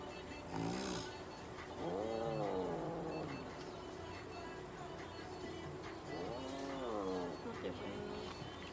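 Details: Russian Blue cat named Myu at a Nagoya animal clinic during veterinary treatment that includes light therapy, injections, tea tree oil moisturizing spray and brushing. It gives two drawn-out meows, each rising then falling, about four seconds apart, over quiet room noise.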